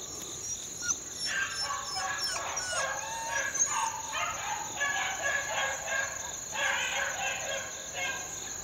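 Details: A pack of young Beagle pups, four months old, in the wild in 2013: softer, more distant bays and yelps come in short clustered bursts, over a steady high whine and quiet outdoor background.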